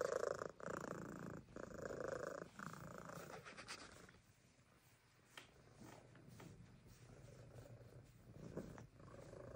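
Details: A Siamese cat at a farm animal sanctuary gives a loud, throaty purr, a rough, rapid rattling rumble pulsing with each breath, strongest at first, then settling into a quieter, steady hum.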